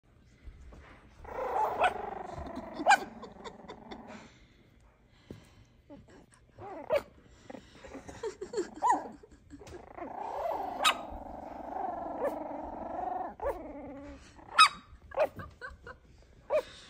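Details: F1b Cavapoo puppies about four weeks old growl in low, rumbling stretches broken by sharp little barks and yips.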